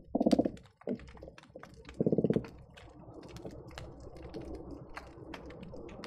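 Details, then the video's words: Underwater hydrophone recording from the Marina Drive bridge linking Long Beach and Seal Beach: croakers give two short, low pulsed drumming bursts about two seconds apart, then steady fizzing and clicking background crackle fills the rest. "Seal Beach croaker sounds"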